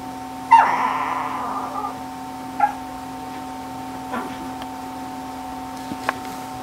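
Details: Ggung, a Shih Tzu, lets out a drawn-out nasal whine that drops in pitch, followed by a few brief softer squeaks and faint taps against a constant background hum.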